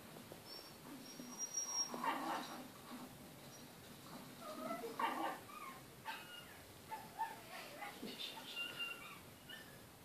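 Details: Male Kai Ken whining indoors at wildlife on television: a series of thin, high, wavering whimpers, some rising and falling, every few seconds over low background noise.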